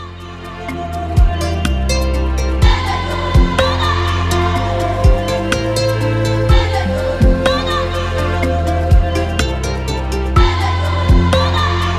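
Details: Gentle instrumental music fills the passage, built on sustained low bass tones and regular percussive hits. No animal calls can be picked out beneath it.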